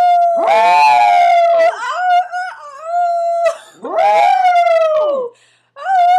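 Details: Maltese dog howling like a wolf indoors: drawn-out wavering tonal howls that slide and bend in pitch, two long rising-then-falling bursts with shorter yodelling notes between and a brief pause before the last.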